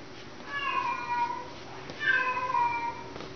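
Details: Indoor domestic cat at a boarding facility meowing: two long drawn-out meows, each slowly falling in pitch, about a second and a half apart, in a small room.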